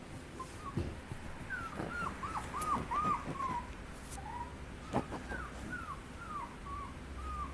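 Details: A Chihuahua puppy gives repeated high whimpers, short arched whines that rise then fall, about two or three a second in clusters, with a few soft knocks and handling sounds in a quiet room.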